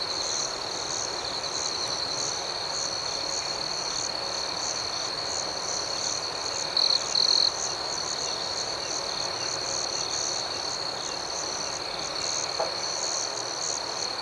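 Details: Night-time crickets keep up a continuous high, shrill chorus of pulsing chirps, with two short, louder trill bursts from a nearer insect around the middle and a faint click later on.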